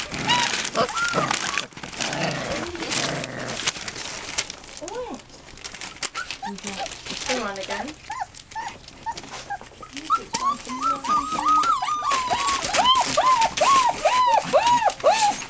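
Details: American Bulldog and Siberian Husky puppies, a litter of eight, whining in a string of arched, squeaky whimpers that grow denser toward the end, with a person speaking and background music.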